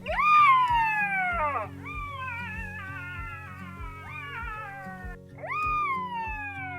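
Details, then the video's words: Black-backed jackals calling and playing in a Kalahari riverbed at Mata-Mata rest camp, Kgalagadi, early morning in August: long wailing cries sliding downward, then wavering yelps, over music. "Black-backed Jackal calling and playing"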